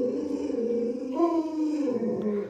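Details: Pet Alaskan Malamute Luoluo vocalizing indoors during a pretend puppy-stewing game; a long, steady, moaning howl that lifts briefly in pitch midway, then settles lower, held for the whole stretch.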